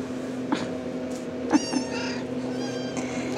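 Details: RagaMuffin kitten from the Shrek litter, 10½ weeks old, indoors after waking from a nap. One short high, harmonic-rich mew in the middle. A steady low hum runs underneath, with soft rustles and a hoarse woman's voice nearby.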